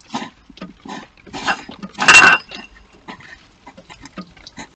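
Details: Two hedgehogs fighting after a male enters an occupied hibernation house, garden in Bedfordshire, UK: bursts of sharp puffs, snorts and clicks, building to a loud rasping hiss, then quieter scattered huffs.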